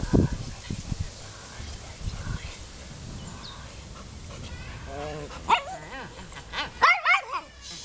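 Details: A found Golden Retriever in Wołomin, Poland, that chases a ball, makes wavering high whimpers rising into a few quick yips near the end, after low human chatter at the start.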